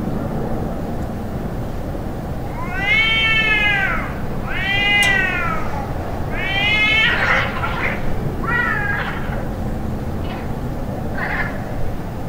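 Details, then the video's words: Fighting cats give a run of loud, strained yowls roughly every two seconds. The later ones break into harsh, hissing, noisy bursts and shorter cries, over a constant low background hum. "Cats fight sound"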